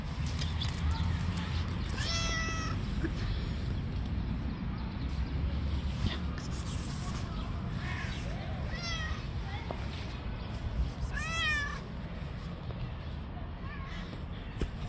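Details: Stray street cat that attacks and fights other cats calls with a scattered series of short, bending meows, several sliding downward, over steady low rumble with some voices.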